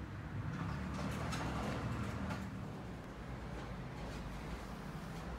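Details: Continuous low rumbling noise with soft thumps, like machinery or a vehicle idling indoors.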